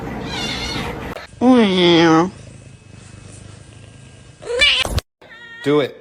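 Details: Between bursts of people talking and laughing, a cat gives one drawn-out meow that bends down and then back up. Another brief cry and more voices follow.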